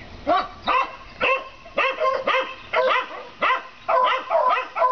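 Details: Neighbours' dogs barking at a rabbit, recorded 7 April 2014 as an everyday event; rapid run of about ten loud barks, roughly two per second, fairly even rhythm, faint hiss behind.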